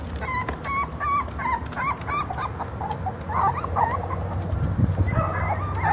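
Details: Short-legged Jack Russell Terrier puppies born 04/10/12 give high, thin whimpers and squeaky yips in quick succession.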